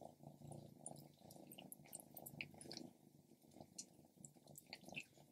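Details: Female house cat Stripes eating grilled lamb: continuous low pulsing purr beneath frequent sharp wet clicks and smacks of chewing, with small drip-like ticks scattered throughout.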